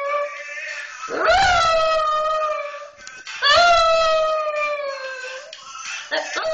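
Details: A Pekingese puppy "sings" along to a hip hop song being played, giving two long, wavering howls that swoop up, then hold a steady tone before fading.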